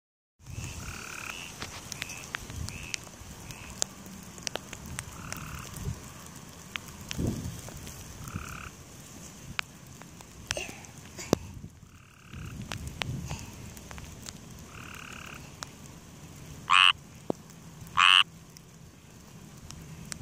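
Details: A frog in grass gives faint, repeated croaks against a low rustling background, then two loud, sharp croaks close together near the end.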